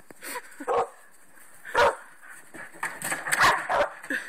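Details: Domestic dogs indoors: young Nakita pestering Jasmen, one of the household's older dogs. Short sharp barks and yips come in quick bursts about a second apart, with softer whimpering sounds between them.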